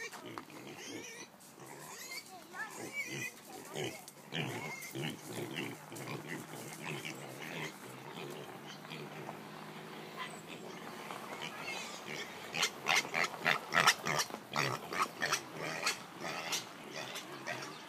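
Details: A noisy piglet grunting and squealing in rapid, irregular bursts, the calls growing louder and harsher toward the end with a cluster of sharp squeals.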